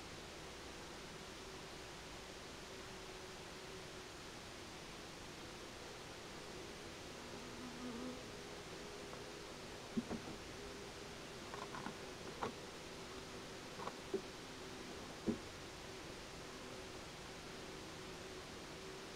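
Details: Buckfast-heavy honey bees orienting towards their queen just after their nucleus colony was moved into a bigger hive; a steady low hum runs throughout, with a few faint clicks and knocks in the second half.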